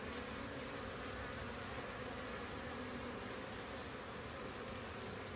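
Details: Busy honey bees at a beehive in April 2024, a dense, steady buzzing hum with low droning bands and no clear breaks throughout.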